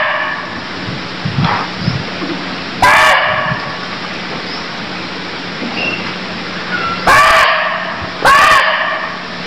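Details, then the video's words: Cambodian barking deer call: three short, hoarse barks, the first isolated and the last two close together near the end, set against continuous faint chirping, a low steady hum and scattered soft rustles. "Cambodia Sound Deer Calls || សម្លេងសត្វឈ្លូសស្រែក"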